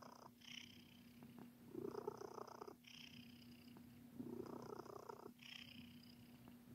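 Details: Purring from Sir Titan, a pet cat kneading in a biscuit-making mood; rough rumbling pulses come in alternating breath phases roughly every two and a half seconds over a constant faint background hum.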